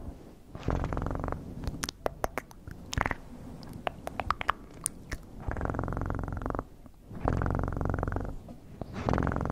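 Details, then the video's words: Pet cat purring with a low rumble, broken in the middle by a stretch of soft clicks and taps, then returning as long even purring phrases. "Best PURRING sounds"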